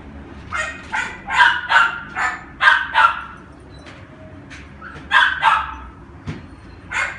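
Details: Red female toy poodle born in October 2016, kept at a pet shop: short sharp yappy barks in quick clusters of two or three, pausing between bursts, over faint room noise.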